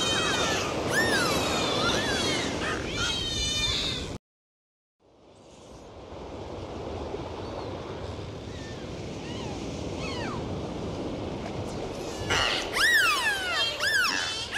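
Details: Underwater dolphin whistles, wavering and looping rapidly at the start, then a short dropout and a stretch of hissing sea noise before a fresh burst of arched, bending whistles near the end.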